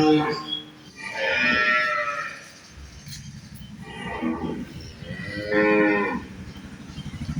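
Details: Holstein Friesian dairy cows at a farm in Bangladesh, mooing in long harmonic calls around one and five seconds, with a man speaking Bengali between them.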